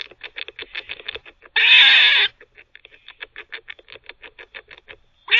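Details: Teething pet squirrel giving one long, harsh, scratchy bark lasting under a second, set among rapid, rhythmic ticking clicks before and after.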